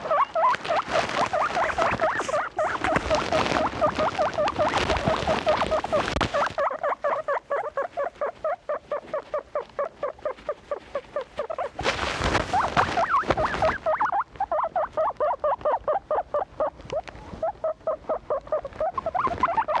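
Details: Kept guinea pigs calling in a rhythmic stream of short squeaks, about two per second, broken by bursts of loud rustling.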